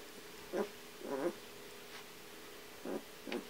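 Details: Three Kuvasz puppies, eleven days old, from a litter of Armani Niclas vom Crystal Diamonds and Arika Majna-menti Mákvirág. Four short, squeaky whimpers come in two pairs over a few seconds, set against a quiet indoor background.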